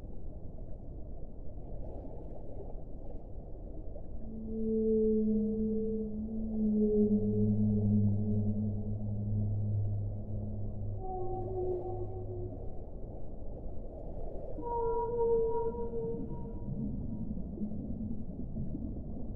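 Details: Whale singing in a series of sustained tonal moans. A mid-pitched note gives way to a deeper, longer drone, then short higher cries follow, all over a continuous low rushing background.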